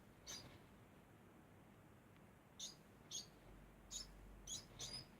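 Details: Degu making a constant sound. Six brief, high-pitched squeaks come in a loose, irregular series, with pauses of up to two seconds, over a quiet background hiss.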